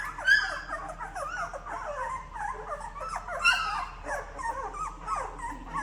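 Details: Ten-day-old Labrador Retriever puppies looking for their mother, crying in continuous wavering whines and squeals that bend up and down, several pups calling over one another in a small indoor space.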